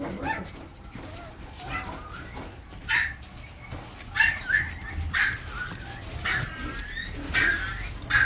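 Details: A female Italian Greyhound puppy, the smallest girl of her litter, gives a series of short, thin, high whining yips and whimpers, several rising then falling, spaced about a second apart over a soft rumbling background.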